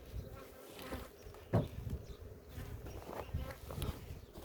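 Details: Honey bees at a village apiary in Ceyhan during a queen check after honey harvest: a low, steady hum of many bees with bursts of handling knocks and rustling.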